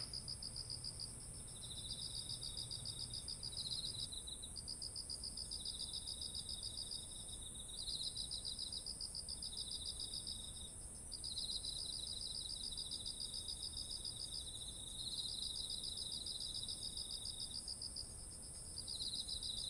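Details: Beside autumn rice fields heavy with grain in Japan, insects keep up a dense chorus captured with a ZOOM H1essential: high pulsed trills in repeated bursts of two to three seconds, layered callers, a continuous piercing high tone, and a low hum that stops early.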